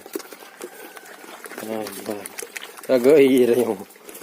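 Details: A penned gibas fat-tailed sheep gives a short quavering bleat, then a longer, louder, strongly vibrating one, over a soft background of rustling and light tapping.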